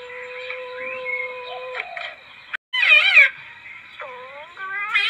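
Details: Lure recording of a palm civet: a sustained even-pitched mew, a sudden loud wavering squall, then several short rising mews in quick succession, set against a continuous shrill background drone.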